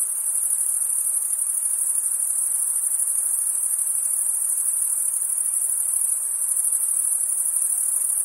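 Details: Night-time summer chorus of chirping crickets, a steady, very high, bright trill running without pause, backed only by a faint murmur of lower insect noise.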